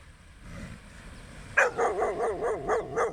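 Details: Sunrise beach walk, a dog suddenly starts barking after a quiet moment, rattling off about six fast, evenly spaced barks over a faint background hiss.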